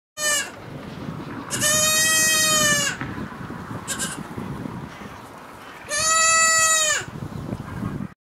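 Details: Baby goats bleating: a brief cry at the start, then two long, steady, nasal bleats of over a second each, several seconds apart, with soft background rustle between them.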